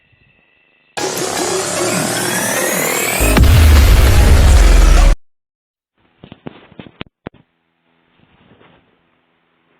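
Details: A loud burst of electronic music with a heavy bass drop, then a few faint clicks and quiet.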